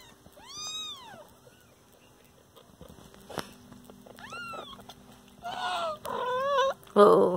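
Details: Pet kitten with its mother cat: a clear arched meow, then quieter mews, ending in louder harsher overlapping meows alongside brief human speech.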